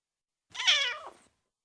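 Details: Single bright, high meow from a four-week-old kitten, under a second long, rising and then falling away in pitch, clean with no other sounds.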